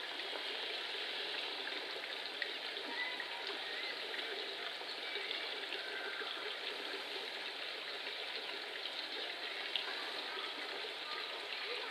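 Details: Steady hiss of trickling, flowing water fills the whole stretch, with no animal calls audible.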